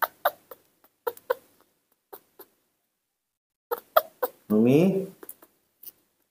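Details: Nomi, a newborn baby monkey raised by hand, calls for its mother: one loud, wavering, harmonic cry lasting about half a second that rises and falls, after soft scattered clicks and a person speaking quietly nearby.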